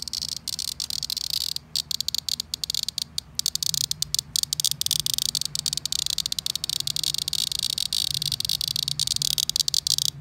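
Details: Loud cicada buzzing, high and harsh. It is almost continuous, with rapid flickering pulses and occasional brief breaks, over a faint low background hum.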